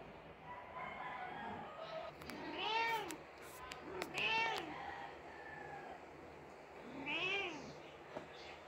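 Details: Mother Persian cat mourning her dead kitten, uttering three long plaintive meows that rise and fall, two close together and a third after a pause, with faint clicks in the room.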